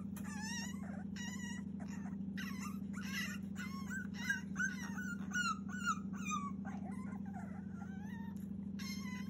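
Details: Cavalier King Charles Spaniel puppy, 42 days old, whining fiercely to be let out, recorded 30 June 2021; high, wavering whimpers and yelps come in quick irregular bursts over a steady low electrical hum.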